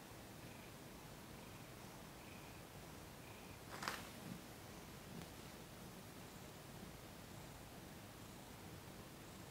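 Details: Purring cat Thomas relaxed under massage, December 2021; a quiet steady low rumble with breath-paced swells, broken near the middle by a sharp brief rustle or click.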